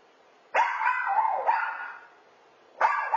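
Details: Chazz, a two-year-old rescued toy poodle, barking at home after his owners leave for work: loud drawn-out barks, two long ones back to back, then another starting after a short pause.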